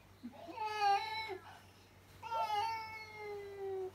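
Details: Indoors, a pet cat cries out at another cat spotted outside: two loud, drawn-out meows. The first is short and the second long, each sliding gently downward in pitch.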